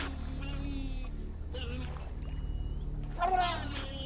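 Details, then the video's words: At dusk in the Brazilian Amazon, a giant otter family gives agitated, squealing contact calls in short bursts over a low musical drone, because a young female is missing; the calling grows more desperate as darkness falls. "the agitated contact calls of the giant otter family betray that all is not well"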